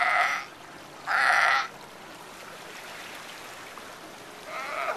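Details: Sea lions at Monterey Bay near the Breakwater, giving two loud, hoarse, harmonic barks about a second apart, then a softer third bark after a quiet gap, with faint water in the background.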